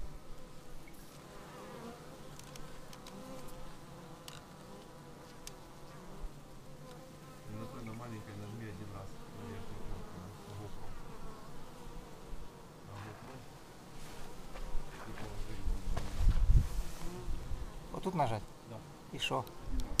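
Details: Bees arriving at a beehive, raw footage on a Xiaomi Yi action camera: a steady low droning hum with wavering harmonic bands, single bees passing close with rising and falling pitch, swelling louder in the final seconds.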